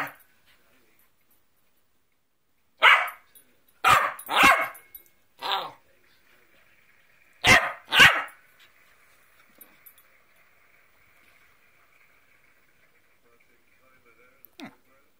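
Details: Cockapoo answering back during a telling-off: a cluster of five sharp, harsh barks, then two more close together, followed by a long near-silent stretch with a faint steady whine-like tone.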